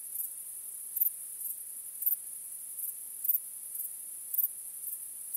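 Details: Crickets chirping on a starry night: a steady, very high, thin shimmering trill with brighter pulses standing out about once a second. No other sounds are heard.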